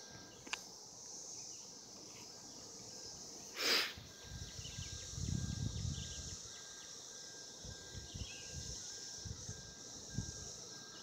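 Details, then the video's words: Cicadas recorded in 2016 while mating: a steady, high, hissing drone holds without a break through the whole stretch, with a few sharp knocks, low rumbling thumps, and faint bird chirps in the background. "Cicadas 2016 mating"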